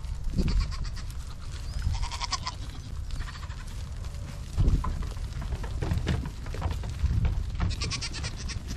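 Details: Nigerian Dwarf show goats on a dairy goat ranch: a few short harmonic bleats scattered through the recording over a heavy, constant low rumble.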